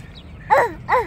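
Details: A dog named Jiraiya barking: two short, tonal barks with a falling, arched shape, the second about 0.4 seconds after the first, over quiet background hum.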